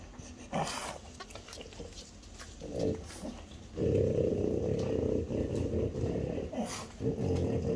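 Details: French Bulldogs, a mother aged five and her four-year-old daughter, eating chicken breast; scattered snorts and clicks, then sustained low rumbling growls with a steady hum, broken by a short pause before the growling resumes.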